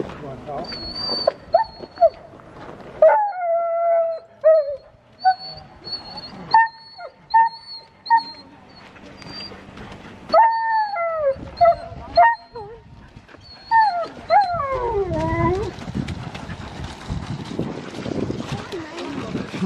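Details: Sojou, a female Alaskan Malamute sled dog, on a March spring run with the Mush Larose Club in Larose Forest, Ontario, Canada. She gives drawn-out yodelling howls and yelps that rise and fall in short bursts, with trail noise building toward the end.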